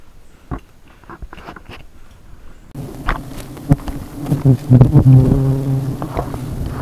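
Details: Honey bees at a hive on the tip of an umbrella: a low, steady droning buzz begins partway through and continues with fluctuating loudness, while people talk nearby in Cebuano.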